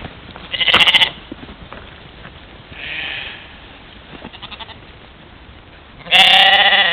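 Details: Trail camera at a waterhole in Czempiń forestry, Wielkopolska, Poland, 13 July 2018, catches a mouflon herd at morning play; a short bleat, a faint distant one, then a long loud vibrating bleat closing the recording.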